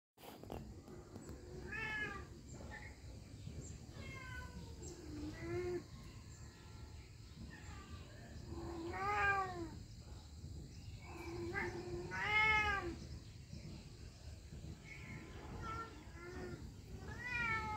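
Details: Cat meowing again and again, each meow an arched, harmonic cry. They come every few seconds, some louder and drawn out, over a steady low background hum.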